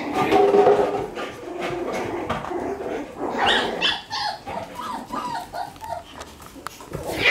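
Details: One-month-old Shiba Inu puppy playing lively indoors; short, high, whiny yips and whimpers cluster in the middle, mixed with rustling and bumping from play.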